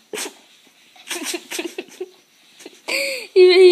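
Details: Pet dog making what its owner calls a weird noise, indoors: a few short speech-like bursts, then a loud tonal whine that arches up and down, followed by a steady, strained, rich-toned whine lasting about half a second.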